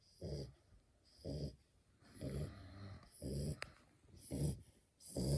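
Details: Female French Bulldog puppy, born April 2020, asleep; snoring in regular low rumbling bursts about once a second, each with a breathy hiss, with no music.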